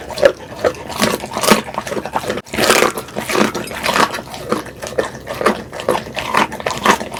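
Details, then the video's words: Pit bull at mealtime, captured close-mic for ASMR: moist smacking and chomping bursts mixed with short snorting grunts, a brief pause near the middle, then continued rhythmic chewing. "이 소리 진짜 강아지 맞아요?"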